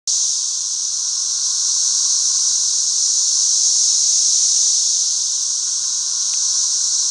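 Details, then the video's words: Thousands of 13-year periodical cicadas flying all over a back yard fill the air with a steady, high, hissing drone that holds at an even level throughout, with no pauses and no other clear sounds. "CICADAS EVERYWHERE!"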